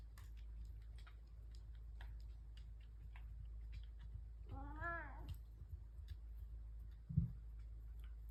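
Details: Pet cat at breakfast time indoors, one of three house cats gathered and purring; a single rising-falling harmonic meow around the middle, with soft clicks and a low steady hum throughout.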